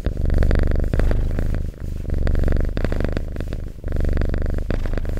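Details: Domestic cat purring up close indoors, a loud low rumbling pulse that swells and fades with each breath, roughly three long purr phases with brief dips between them and a few soft clicks.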